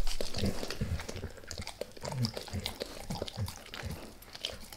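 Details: Max the dog works at a beef rib, starting lightly: soft low thuds and gnawing knocks about three times a second, with faint scattered clicks above and quiet room tone in between.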